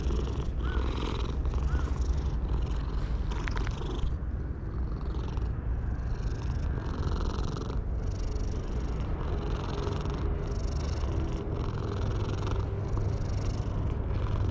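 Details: Petted stray cat perched on a wall, purring with joy; long run of even throbbing pulses separated by brief pauses, some rustling early on, distant traffic rumble underneath.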